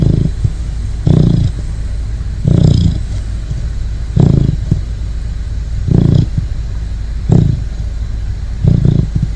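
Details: Sleeping Great Dane puppy snoring: slow, throaty, rumbling snores about every one and a half seconds, each a rough low rasp, over a constant low background hum.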